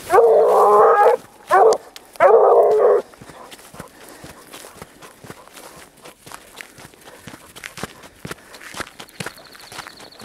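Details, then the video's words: Grapa de Vallezano, a dog on the trail of wild boar, gives three loud, full baying cries in the first three seconds, the first long and the third drawn out. Footsteps and rustling through vegetation follow. "GRAPA DE VALLEZANO EN RASTRO DE JABALI"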